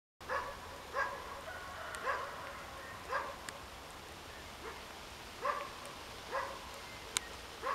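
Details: A roe deer doe, moving away with her fawn to a safe place, gives short, hoarse, dog-like barks, repeated roughly once a second.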